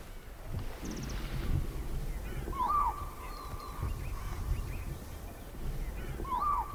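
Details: Distant spotted deer at the edge of a forest give alarm calls that can mean a tiger is nearby. Two brief, piercing yelps sound roughly four seconds apart, with a faint continuous tone and low rustling noise.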